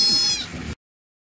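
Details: An adult sea otter gives a brief, high, squealing cry that fades quickly.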